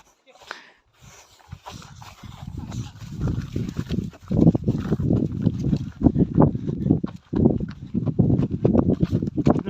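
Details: Newly acquired male Sivas Kangal pup, destined to guard a flock, turns bad-tempered while eating and guards its food from a female pup and a chicken. Low, rough rumbling pulses build and repeat irregularly, with a man's voice calling over them.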